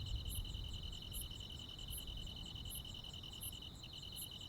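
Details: Crickets and other insects on a countryside summer night: a steady, fast-pulsing trill underneath, with sharp high chirps repeated roughly every 0.8 seconds, over a low background rumble.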